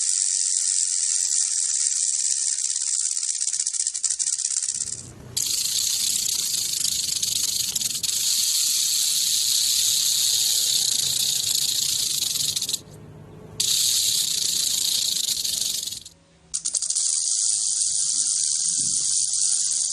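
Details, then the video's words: Rattlesnake rattling in a steady, dry, high-pitched hiss-like buzz that breaks off briefly twice and then resumes, with a faint low rumble beneath. "Rattlesnake Rattle Sound"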